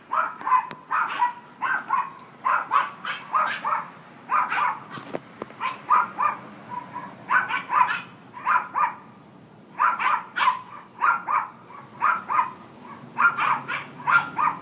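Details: A dog barks constantly in rapid runs of sharp, mid-pitched barks, several per second in each burst, with short pauses between bursts throughout.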